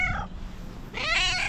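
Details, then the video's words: Fluffy female tabby cat meowing: a brief sound at the start, then one loud, bright meow that rises and falls over about half a second, recorded close up indoors. "Fluffy tabby cat that meows with its unique sound"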